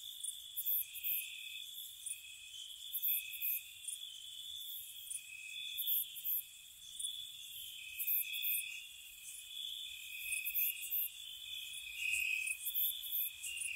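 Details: Night chorus of crickets in spring around a cottage: unbroken high trilling tones with irregular clusters of piercing chirps, several callers overlapping, quiet otherwise.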